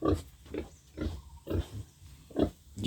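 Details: Young pig being raised as a future sow, kept in a backyard farm pen, gives short low grunts roughly every half second, with quiet gaps between and faint speech in the background.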